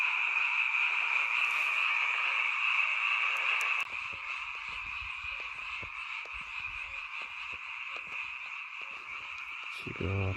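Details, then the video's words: A seasonal night chorus of many frogs near a rural mountain home forms a continuous high, shimmering trill. It grows softer partway through, with scattered clicks and a brief low hum at the close. "잠이 오지않은 밤 개구리 소리와 잠을 청해보세요"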